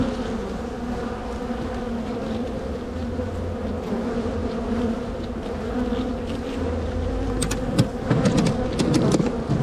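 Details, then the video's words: Dense, even drone of a strong honey bee colony in spring as its hive is split and relocated. Constant low hum throughout, with a flurry of sharp tapping and clicking of hive equipment near the end. "Bee Hive walk away split and relocation"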